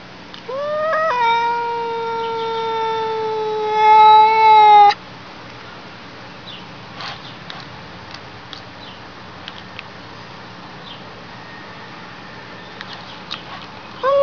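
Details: Single long, steady meow from a cat, starting with a quick upward slide and holding a level, clear tone for about four seconds before stopping abruptly, followed by quiet background hiss and faint clicks.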